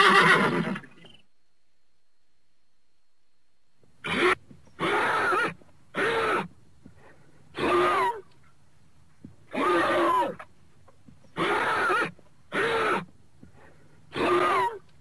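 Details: Horse giving a series of short, breathy, nasal bursts roughly every one to two seconds after a brief opening call, with quiet pauses between them indoors-sounding and no other clear sounds.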